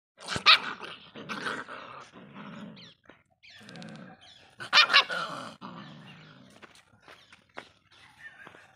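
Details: Indian pariah dogs fighting: harsh, loud barks and snarling growls in irregular bursts, two peaks of shrill barking separated by lower rumbling growls and pauses.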